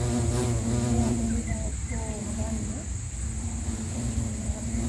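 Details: Sri Lankan recording of a bumblebee (Bombus pennsylvanicus): a low droning hum that dips, wobbles and returns in uneven surges as the insect moves, with brief gaps, over a steady faint high-pitched background tone.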